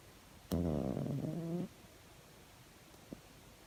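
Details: Pet cat asleep and snoring: one raspy, buzzy breath lasting about a second with a tonal rasp, followed by quiet and a faint click.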